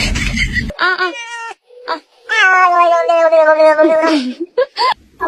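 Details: Pet cat producing a hilarious drawn-out meow, long and gradually falling in pitch, preceded by shorter mews and followed by brief squeaks, with human voices nearby.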